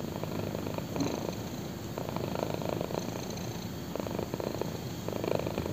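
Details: Black kitten resting on a person's thigh, purring close up; continuous low vibrating rumble with regular breathing pulses roughly every second, quiet room with no other sounds.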